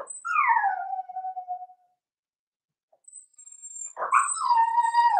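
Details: Four-week-old Cavalier King Charles Spaniel puppies in an indoor puppy pen; a loud descending whine fades out, then after a pause a rising-then-falling whimper swells and holds near the end, with a faint high electronic tone.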